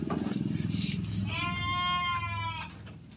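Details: Etawa crossbred male goat bleating once, a steady harmonic call lasting about a second, over a constant low rhythmic machine-like rumble.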